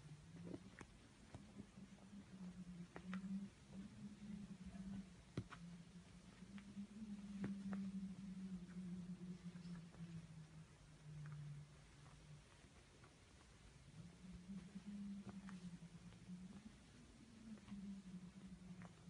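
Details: A Norwegian Forest Cat that comes to wake its owner every morning gives a low, steady rumbling call.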